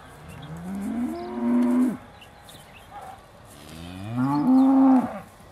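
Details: Aussie Red dairy cows at Beaulands waiting to be milked, December 2012: two rising, sustained moos about three seconds apart, each swelling then cutting off, over a low background hum.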